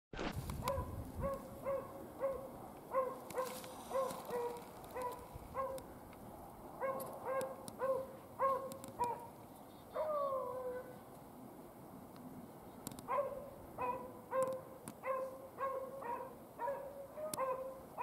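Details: Beagles rabbit hunting in upstate New York in February: a steady run of ringing, tonal bays repeated nearly twice a second, several voices overlapping, with a few short sliding howls and outdoor rustling between them.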